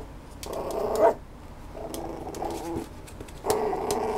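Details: A Schnoodle dog makes three low, rough growling bursts, each lasting about a second, with quieter gaps between them and faint clicking noises in the background.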